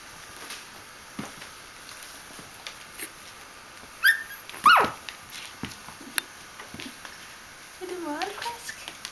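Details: Bichon Frisé puppies aged three weeks and four days at a small kennel in Vejle, Denmark; a few short high whimpers and squeaks, then a wavering whine near the end, with human speech and clicking sounds in a quiet room.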